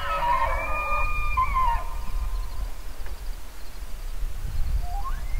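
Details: Bugling elk opens with a bright, harmonically rich whistle lasting under two seconds, then a quiet stretch before a short rising squeal at the end, all over low rumbling wind.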